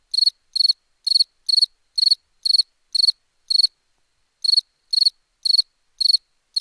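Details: Crickets at night in India: short, pulsed chirps repeated about twice a second with one brief pause; cricket.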